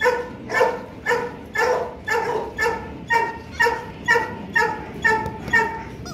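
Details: Loki, a male Rottweiler about two and a half years old, kept at Gervi Kennel during play: steady, evenly spaced harmonic yelping or whining pulses, about two per second, each short and slightly falling, continuing for several seconds.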